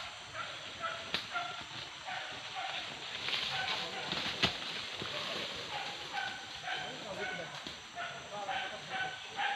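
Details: Dogs hunting wild boar pests at Tarok Sicincin, Padang Pariaman: distant high yelping barks come in short bursts throughout, several in quick succession, over a steady rushing hiss.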